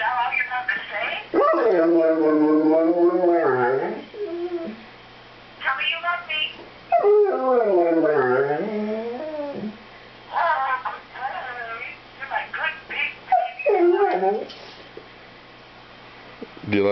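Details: Stanley, a singing Airedale terrier, talking to his owner on the phone: long wavering harmonic howls of several seconds with rising and falling pitch, broken by short yips, with a woman's voice in between.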